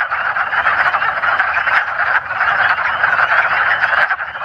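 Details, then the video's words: Wood frogs (Lithobates sylvaticus), calling with paired vocal sacs, give rapid, duck-like, quacking clucks that blend into a steady rattle, with high-pitched spring peepers calling in the background. "Wood Frogs Calling (Vocal Sacs)"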